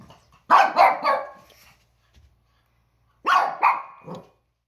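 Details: Pekingese dogs Peko and Poko, one year and under one year old, yap at a toy that squeaks, filmed October 2018. Two clusters of two or three sharp barks each, separated by over a second of quiet.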